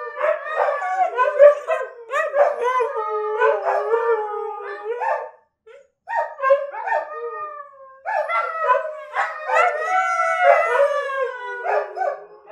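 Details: Several pet dogs, led by Kiska, howling together as a choir: overlapping wavering, harmonic howls, rising and falling, in two long bursts separated by a brief pause near the middle.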